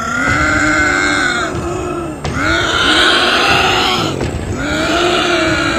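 A lynx gives drawn-out, wavering yowls, each rising and falling over about two seconds.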